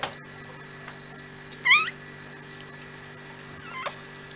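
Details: Bichon Frisé puppies from a first litter indoors: a brief high, rising and falling squeak near 1.7 s, a fainter one near 3.8 s, steady electrical hum beneath.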